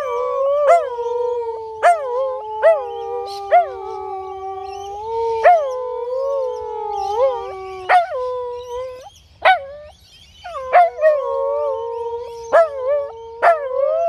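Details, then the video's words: A Husky and a Corgi in a noisy afternoon howling contest: long, wavering, tonal howls that bend and rise, cut by sharp yips and short barks every second or so, with brief pauses between bouts. "Husky and Corgi howling contest"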